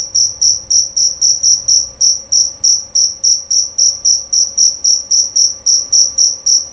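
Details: Loud, clear chirping from a jerabang cricket: sharp, shrill pulses repeated about four times a second in an unbroken, regular rhythm, each chirp crisp and ringing, with only a low background hum.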